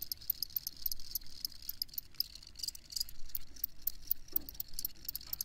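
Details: Crickets keep up rapid, high, pulsing chirps in an irregular overlapping chorus, set against a noticeable low rumbling background and a brief soft thump near the end.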